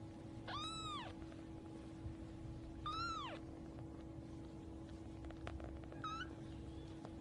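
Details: Newborn kittens suckling and playing; clear arched meows rich in harmonics, two loud ones about two seconds apart and a faint, short one near the end, over a steady low hum.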